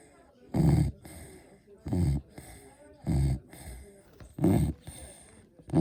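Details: Sleeping Beagle giving low rumbling snores indoors, about five rough bursts a little over a second apart with faint breathy sounds between them.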